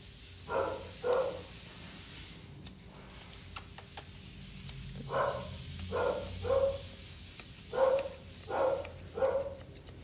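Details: While being groomed indoors, a Poodle mix barks repeatedly in pairs and short runs of two or three sharp yaps, with scattered clicks of grooming tools between them.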